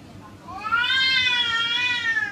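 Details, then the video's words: Two female cats fighting fiercely; a single drawn-out, loud, harmonic yowl swells up, holds with a slight wavering pitch for over a second, then sinks away. "Fuerte pelea de gatas"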